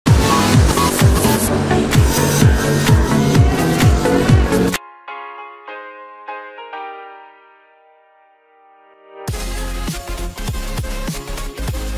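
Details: Loud electronic dance music with a pounding beat breaks into a short quiet melodic passage, then the beat returns.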